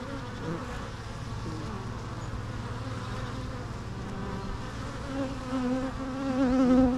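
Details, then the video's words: Dense low hum of bees with wavering drone tones, steady throughout and growing louder toward the end as a buzzing insect comes close. "natural bee sounds"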